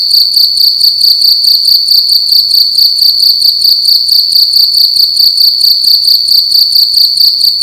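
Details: Night-time cricket inside a room giving a loud, shrill, ringing chirp repeated in a fast even rhythm, around two pulses per second, nothing else audible.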